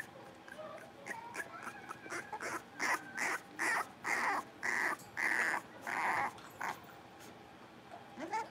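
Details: Blenheim Cavalier King Charles Spaniel puppies, part of a litter of five in an indoor puppy pen, playing; a run of about seven short, evenly spaced high barks, roughly one every half second, with fainter yips before and after.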